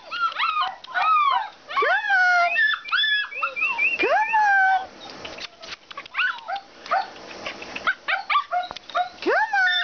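Alaskan Malamutes give overlapping whiny, yodelling calls that swoop up and down in pitch.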